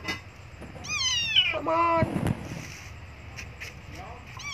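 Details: Abandoned kitten crying for milk gives one loud, drawn-out, falling meow, followed by a sharp knock and quieter background noise, with faint further mews near the end.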